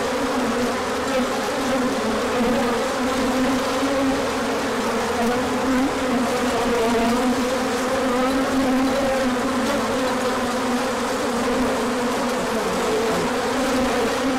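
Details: Many bees on a large orientation flight in late March, out as the sun came after colder weather; a dense, steady droning hum with wavering low tones around two bands, continuous throughout.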